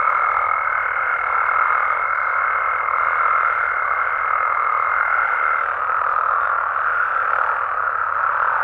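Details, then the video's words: Nighttime chorus of Mexican frogs and toads: thick, continuous overlapping croaks at mid pitch, with a steady high thin tone running above them for the first half before dropping out. "Mexican Frogs & Toads Sounds"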